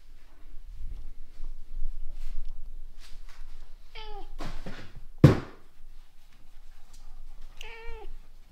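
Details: Orange domestic cat indoors, described as babysitting a kitten, gives two drawn-out harmonic meows several seconds apart, each falling then levelling. A sharp knock sounds between them, with soft rustling throughout.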